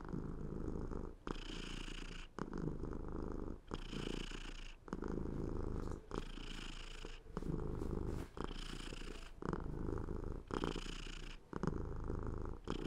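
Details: Softer, uneven purring from a cat, alternating between brighter, louder rasping phases and quieter low rumbles about every second. The breathing pattern is irregular and close, with a dry indoor feel.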